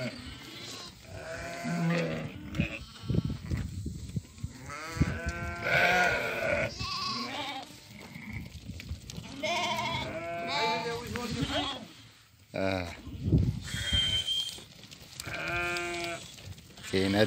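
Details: Doukkala sale flock of 50 ewes that have all given birth, with 25 ewe lambs and 25 ram lambs; a chorus of quavering bleats, some high and some low, rises and falls over steady background chatter and men calling out.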